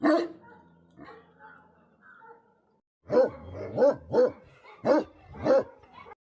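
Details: Livestock guardian Tibetan Mastiff in Himalayan Nepal: one bark, then near silence for about two seconds, followed by a run of five or six deep, resonant barks about half a second apart.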